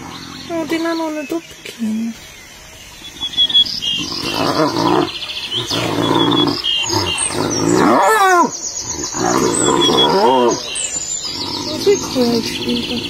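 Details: Hyena fight with wavering, harmonic squeals and giggling yelps that bend up and down, set over dense rough growling and scuffling noise, with some voices and chirpy background sounds mixed in.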